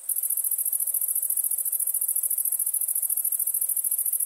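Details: A steady, very high pulsing cricket trill fills the night, rapid and unbroken, with no other sounds present.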